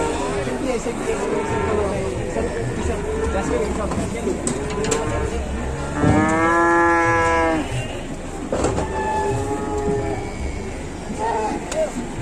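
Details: Cattle packed as an overloaded truck load: a loud, drawn-out harmonic moo of about a second and a half sounds midway, framed by lower, shorter moos from other animals and a man calling out instructions.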